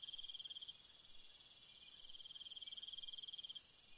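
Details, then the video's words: A cricket's quick, beating trill carries steadily through a calm night, pausing briefly before resuming. A very high continuous insect hiss accompanies it and softens halfway through. "Cricket Sounds"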